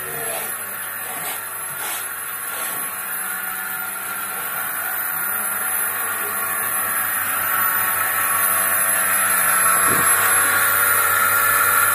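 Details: Steady mechanical hum and fast rhythmic pulsing of a milking machine fill the recording, with a few faint voices early on.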